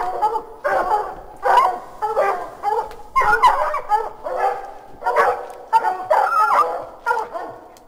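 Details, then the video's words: Hounds bay and bark in a steady, overlapping chorus, each loud bark following closely on the last, as they bark up a tree at raccoons at 9 pm, recorded from a deck about 30 feet from the house. "Hounds barking up our tree at raccoons. Ramps up after 13 seconds."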